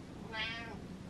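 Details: Butters, a pet cat, conversing with its owner while sparrows are outside: a single clear meow of about half a second, rising then easing down, in a quiet indoor room.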